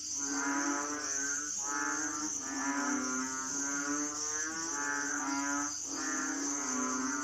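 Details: Asian frogs give deep, drawn-out lowing cries about every two seconds over a steady insect hum.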